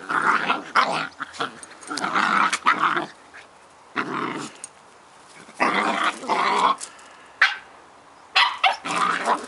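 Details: Playful Scottish Terrier pups Bonnie and Basil wrestling for fun, giving repeated harsh, snarling growls in bursts of one to two seconds, broken by brief silences and an occasional sharp yelp.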